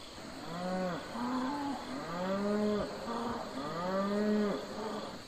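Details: Farm cattle, domestic livestock herd: three rich, harmonic moos in quick succession, each rising then falling, separated by short gulping pauses, with a steady background hiss.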